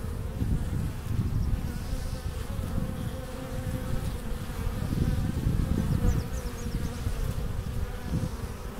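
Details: Honey bees at the hive entrance in April, bringing in pollen and nectar: a dense, steady low droning hum that swells and fades slightly over time, with no other clear sounds.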